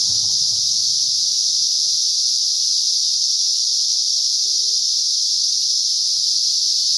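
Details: Cicadas heard near a garter snake, their chorus a loud continuous shrill buzz without pause, steady in pitch, over faint low rumbling and a brief soft squeak.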